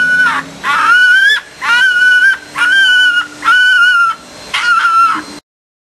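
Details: Red fox cubs, orphans held in a pen before their return to the wild, make loud drawn-out whining cries, six in a row, each strained and nasal with a wavering pitch, separated by brief pauses.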